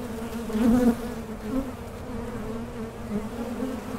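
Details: A Mason jar honey super hive hums with honey bees. The drone is continuous and low, with a sharper, louder buzz near the start as a bee flies close, then it settles back to an even hum.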